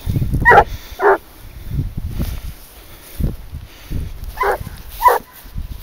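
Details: Leashed hunting dog, 22 months old, giving tongue while trailing wild boar; five sharp barks spaced irregularly, separated by quieter stretches of rustling and low wind noise.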